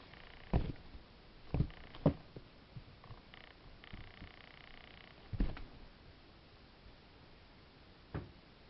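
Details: Two-month-old Ragdoll kitten purring, dated 09/05/2015; a low, steady rumble sits under the quiet room, broken by several sharp knocks or handling thumps spread through the recording.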